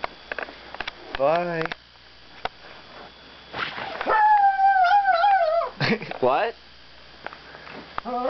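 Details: Female pet dog vocalising before going to bed: a short wavering whine, then a long, drawn-out howl that wobbles and slowly falls for about two seconds, ending in a rising yelp, with a person talking to her.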